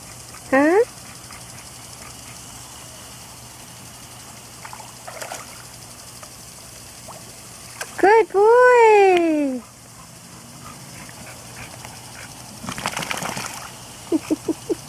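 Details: Auggie, a pet dog, in his backyard pool on a hot day, lets out a few rising-then-falling whines, one short and one long drawn-out one, while a person coaxes him out of the water; steady pump-like hum behind.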